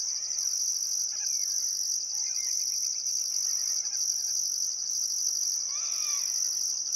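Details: Sunset chorus of crickets beside the Barcoo River in Welford National Park, Queensland outback, summer: steady shrill trilling overlaid by a higher on-off pulsed buzz, with faint bird chatter and a short descending whistled bird call near the end.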